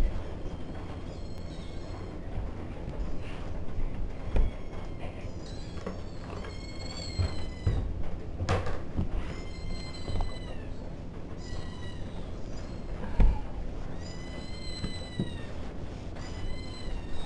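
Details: Kitten mewing in a series of high, thin, slightly descending cries, several repeated across the recording over a steady low rumbling hum.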